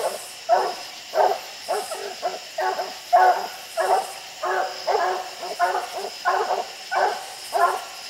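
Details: Dogs at the tree bark up at raccoons on a steep hillside. Rough, mid-pitched chop barks repeat about every half second, rising and falling in loudness, with several dogs overlapping.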